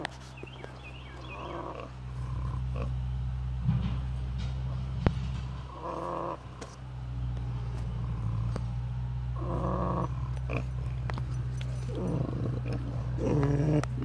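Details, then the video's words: Pigs asleep at David Crockett birthplace park snore in low, grinding rumbles, louder rasping breaths rising every few seconds above a steady deep drone. "Snoring pigs"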